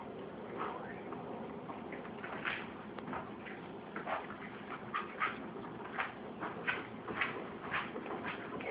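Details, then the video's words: Shih Tzu puppy hiccupping at mealtime, short soft blips repeating roughly every half second to second, steady and quiet, over faint room background. "Shih Tzu puppy Hiccup"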